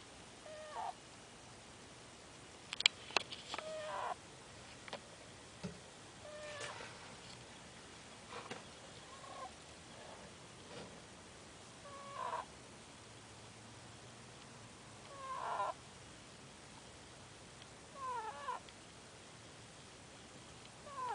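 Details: Chester, a pet ferret, snoring while asleep: soft, squeaky, whistled snore bursts with a few short clicks, returning every two to three seconds over a quiet background.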